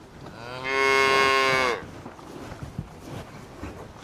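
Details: Single cow mooing on a green meadow while searching for food, a steady, rich, drawn-out moo lasting about a second, then soft rustling and light tapping sounds.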